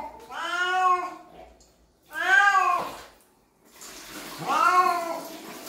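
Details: Cat complaining while being bathed, giving three long, loud, drawn-out meows, each swelling and then fading, spaced about two seconds apart, with faint water noise between them.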